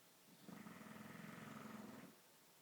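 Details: Murphy, a bulldog, snoring indoors: a single long, rough, rasping breath lasting about one and a half seconds, with a steady low drone and faint buzzy overtones over a quiet room background.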